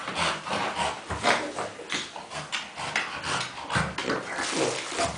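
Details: Playful pet dog in a pile of tennis balls, making pig-like snorting grunts: quick rough puffs repeated several times a second in uneven bursts, recorded indoors.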